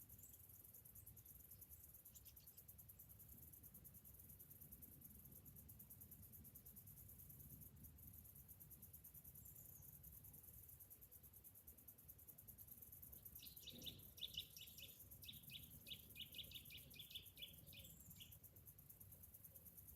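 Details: Summer-morning cicada chorus: a continuous high, finely pulsed drone. Near the end a series of short, quick chirps breaks in from another animal, over a faint low rumble.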